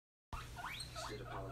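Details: Hazel, a male guinea pig about three months old, wheeking happily in his brand new expanded cage; three short, rising squeals in quick succession over a low steady hum.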